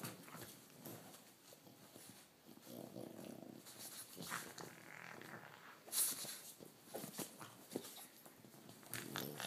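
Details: French bulldog playing rough with a toy rat, making low rasping growls mixed with snorts and scuffling sounds, with a sharp click near the six-second mark.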